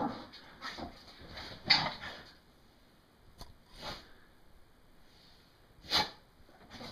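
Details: An English Bull Terrier getting rowdy on a bed after a shower gives breathy, broadband snorts and huffs in short bursts, a few seconds apart.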